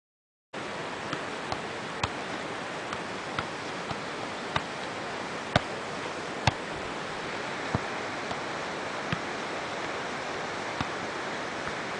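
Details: Steady broadband rushing noise like flowing water, with faint sharp ticks scattered through it and no animal voice.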